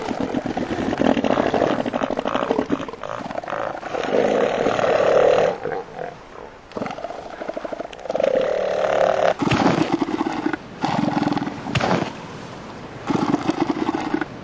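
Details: Southern elephant seal bulls fighting over mating rights for females, giving deep, rattling, pulsed roars in repeated bursts lasting a few seconds each, separated by short pauses, over steady surf.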